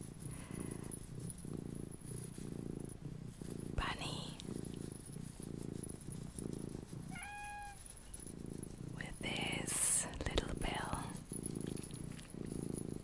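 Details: Small domestic cat purring steadily in a quiet indoor relaxation recording, a continuous low rhythmic rumble with regular breathing pulses, broken by soft whispering and a few brief higher squeaky sounds.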